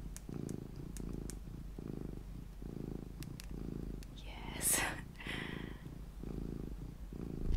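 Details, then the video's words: Low, rumbling purr from Luna, a mini cat, pulsing in regular breath-length bursts about every second, briefly interrupted midway by a soft whispered hiss and rustle. "my purring MINI Cat Luna"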